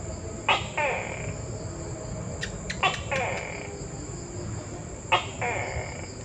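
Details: Tokay gecko calls, each a snappy click followed by a rasping, drawn-out syllable, repeated three times over about five seconds. Faint clicks sound between calls, with a continuous high whine and low noise behind.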